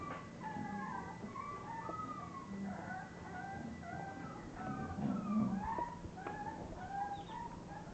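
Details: A litter of English bulldog puppies whimpering: many thin, high whines overlap almost continuously, sliding up and down in short wavering phrases over a steady low background hum.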